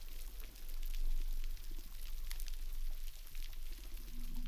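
Splashing, pouring water with low rumbling and no animal voice heard.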